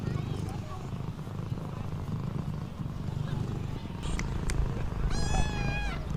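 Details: Stray street cat reunited after three months apart, hugging in greeting. A continuous low purr throbs throughout, then a drawn-out harmonic meow rises and falls toward the end, with light outdoor background.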